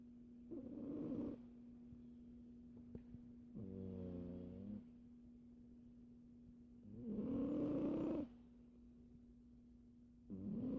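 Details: Siamese cat snoring while asleep and dreaming: long, harmonic nasal breaths of one to two seconds, spaced a few seconds apart, over a steady low hum, with a voice speaking at the end.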